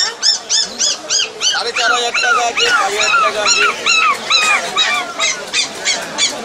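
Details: Rottweiler puppy on Galiff Street yelping in a fast series of high, arched, whining cries, about three each second, some rising then falling, with people talking nearby.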